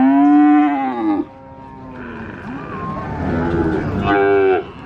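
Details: Cows lowing at the Sokaraja cattle market in Purwokerto, Banyumas: a strong steady moo, then a quieter stretch of overlapping calls and market noise, ending with another loud moo.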